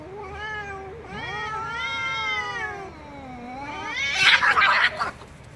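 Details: Angry cat meowing loudly in a short series of wavering, drawn meows, some sliding upward and some downward, ending in a harsh, noisy outburst.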